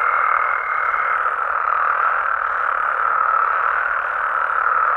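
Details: Nighttime frog and toad chorus from Mexico: a dense, continuous wall of overlapping trilling croaks that never pauses, with a thin steady whistle-like tone running through the first second.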